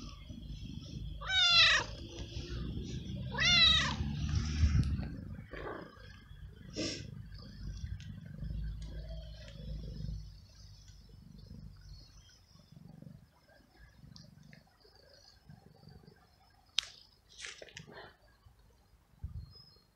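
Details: Stray abandoned cat in a garden, given daily food and petting, lets out two loud, bending meows a couple of seconds apart, then fainter short mews, clicks and quiet rustling.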